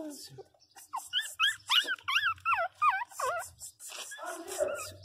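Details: Pinscher puppies crying, rapid wavering high-pitched whines rising and falling in a quick run of about a dozen notes, then softer mixed yelps near the end; a low background hum is present.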